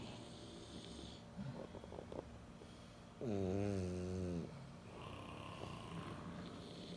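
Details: Three French Bulldogs asleep: soft snuffling breaths, then one drawn-out, nasal, rattling snore with a slightly falling pitch lasting about a second, followed by quieter wheezy breathing.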